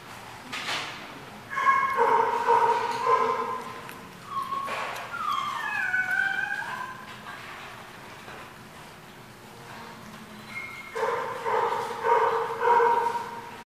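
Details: Dogs at a barking lot, recorded 10/27/14: rapid harmonic barks in bouts at start and end, with whining, sliding yelps in between and faint background noise.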